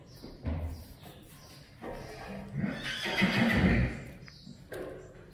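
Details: A Friesian horse from a herd gives a loud, quavering neigh that swells over about two seconds mid-clip, with hoof clops and human voices around it.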